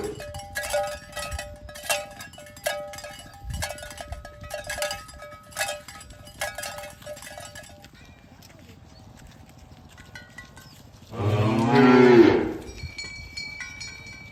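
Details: Dozens of tame cows herded in the morning toward the pen on village roads by green grassy fields; irregular cowbell clanks and hoof sounds for several seconds, a quiet stretch, then a single loud, deep moo lasting over a second.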